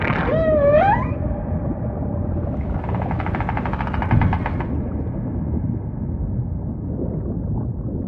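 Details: A wavering, upward-sliding whale cry opens, followed by a long rattling, pulsed buzz, then fading low murmurs within the ever-present deep water rumble of a humpback's song.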